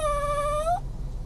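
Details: Dog whimpering after its owner departs; a single steady, high, clear whine under a second long that lifts a little just before stopping, followed by a quiet room with faint hum.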